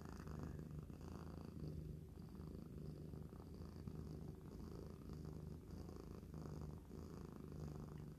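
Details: Mother cat, a shelter-rescued cat about two years old, and her kitten purring together indoors; loud pops come from the mother, quieter ones from the kitten. A strong, even rumble swells with each breath, roughly every second, with no other sounds.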